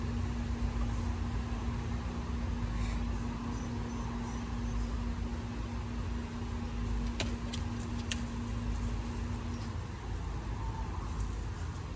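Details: Steady engine rumble inside a car with a constant droning hum and a few faint clicks, without any animal sound.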